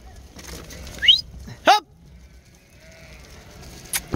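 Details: A sheep in a northern Spanish flock gives one loud, short bleat just after a rising human whistle. A near-silent stretch follows, and faint clicks come at the end.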